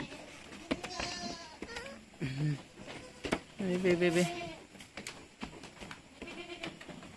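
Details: Weaning goat kids on a farm in San Carlos City, Negros Occidental, Philippines, bleat in short, wavering bursts over steady background noise and scattered knocks, with two clearer cries in the middle.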